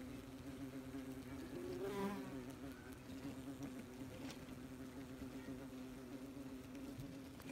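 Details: Busy wasps at their nest, recorded close by: a constant low humming buzz, one wasp swelling louder as it flies past early on, then a steady drone.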